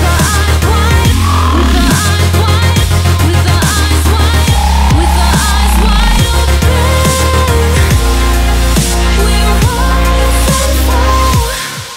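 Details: Loud electronic dance music with heavy bass, pounding beats and synthesized tones throughout, and no animal sound.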